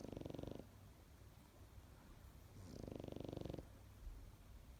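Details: A sleeping Pekingese snores in rattling, buzzy bursts, each breath a rough vibrating rumble.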